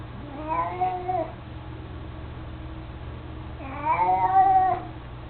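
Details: A mostly blind, chubby 18-year-old male house cat, fond of his toy mouse, utters two wavering meows about three seconds apart, the second longer and louder, over a quiet low-pitched room hum.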